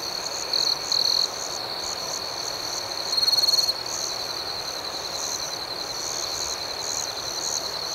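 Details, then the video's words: Crickets chirping through the night make a fast, rhythmic high pulsing. Two short loud trills come in the first second, and a stronger buzzy burst follows just after the third second, set against gentle background hiss. "Soothing Cricket Sounds"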